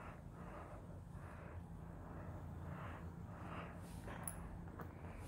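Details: A Russian Blue cat kneading its owner purrs in a low, steady rumble that swells and fades with each breath.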